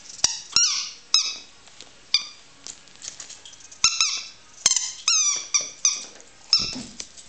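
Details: Yorkshire terrier named Bertie watching his toy indoors, giving high, squeaky whines and yelps in short bursts, some sliding downward, with brief clicks between them.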